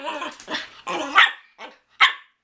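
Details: Miniature Pinscher begging for dinner indoors, several rapid overlapping barks and whining yelps, the last two short and sharp, while a person talks to it and a phone is mentioned.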